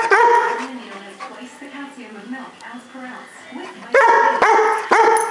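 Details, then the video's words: A Weimaraner throwing a temper tantrum. It opens with loud, whiny, almost talking yowls, moves into a lower moaning grumble through the middle, then ends with two sharp rising yelps. The clip is close and indoors-sounding. "Weimaraner Temper Tantrum"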